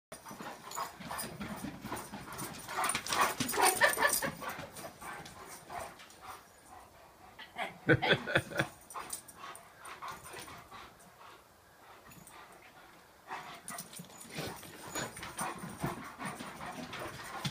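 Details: Two Leonbergers, Uzi, a two-year-old male, and Elsa, an almost four-year-old female, play off leash at their first meeting. Scuffling, huffing and bursts of rough play swell around four and eight seconds, then again near the end.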